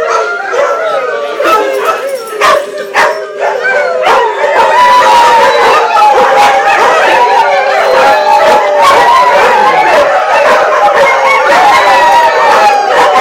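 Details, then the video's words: Loud chorus of greyhounds singing at the GPAC Picnic, 2010, Atlantic Canada, once they get going; many overlapping wavering howls, sharp clicks and knocks, dense continuous sound throughout. "Greyhounds singing!"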